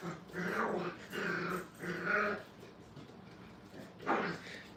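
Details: Five-week-old kennel puppies at play, trying to bite the wire: three drawn-out whining growls of about half a second each, then a sharp yelp near the end, with low background murmur.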